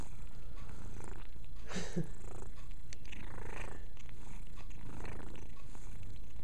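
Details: Indoor domestic cat purring as it grooms, a continuous low droning rumble with faint scattered rustles and licks.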